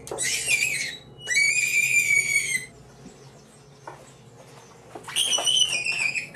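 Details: Angora rabbits in a fur operation cry and scream as their fur is removed, front paws tied. Three loud, high-pitched, harmonic screams of about one second each, separated by quieter gaps with faint clicks.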